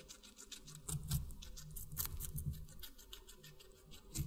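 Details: Guinea pig eating watermelon, close-up chewing: soft, wet crunching and clicking bites in quick irregular bursts, with a stronger cluster of chews near the middle and a low rumbling undertone throughout.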